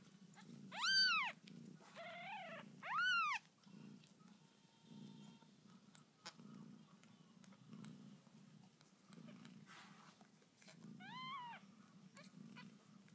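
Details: Newborn kittens meow shrilly, four arched cries in all. Two loud ones come close together at the start, then a softer one follows about eight seconds later, over a low steady household hum.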